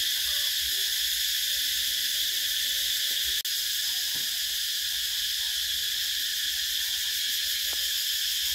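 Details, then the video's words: Cicadas in summer: a steady, piercing wall of buzzing that never pauses, with a single sharp click about a third of the way in and faint low murmurs underneath. "Tiếng Ve Sầu kêu mùa hè"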